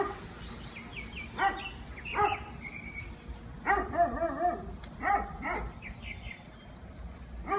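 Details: Dog after trying to catch a squirrel for four hours, giving short, high, whining yelps and yips in scattered bursts, some with rising and falling pitch, over a steady low background rumble.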